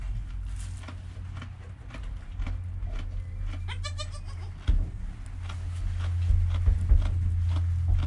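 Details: Newborn goat kid named Joel, within an hour of his birth, his calm mother Penny nearby, recorded on a GoPro; a single short, wavering, harmonic-rich bleat midway, over a steady low rumble and rustling movement.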